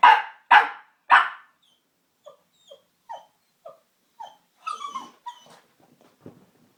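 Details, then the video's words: Oscar, an eight-month-old pug puppy, facing a vacuum cleaner: three loud rough barks open the sequence, then a string of small whimpering yips and a higher squeaky whine trailing off. "Oscar vs the Hoover"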